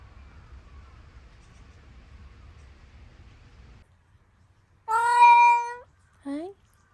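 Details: Domestic cat meowing indoors after a dog stepped on it: after a quiet low rumble, one long, steady, harmonic meow lasting about a second, then a short rising meow.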